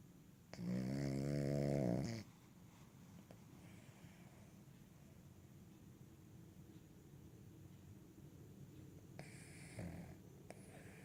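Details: Cavalier King Charles Spaniel asleep on a lap, giving one loud, deep, buzzy snore lasting about two seconds, then quiet rasping breaths and a softer snore near the end, indoors.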